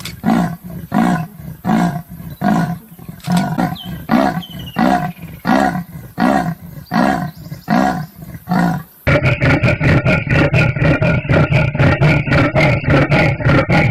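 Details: Leopard making a rhythmic series of harsh, rasping grunts, each a breathy saw-like stroke repeated at a steady pace, then quickening into denser, faster strokes in the second half.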